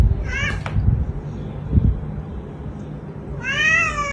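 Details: Domestic cat meowing: a short harmonic meow near the start, then a longer, strained meow with rising and falling tone near the end, with low rumbling handling noise between.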